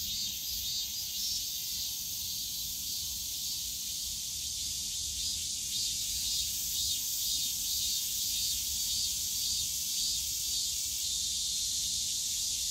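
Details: Summer cicada chorus from a bamboo forest in Yongsan Family Park: a continuous shrill hiss with slight pulsing waves, many insects overlapping, and soft distant park rumble below.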